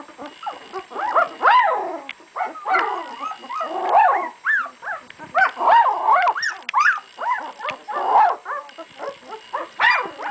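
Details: Several two-week-old puppies cry continuously, their thin, wavering whines bending up and down and overlapping so the squealing rarely pauses.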